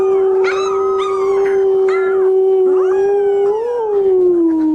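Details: Howling puppies learning the sound: one steady, sustained howl held throughout, with a second voice adding short rising yelps and wobbling notes over it, ending in a gentle dip in pitch.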